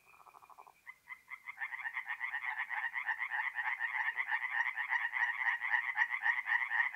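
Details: Singing tree frogs at a north-east Italian forest pond on an April night: a brief opening rattle, then the chorus swells into fast, harsh, repeated croaks that grow louder and denser.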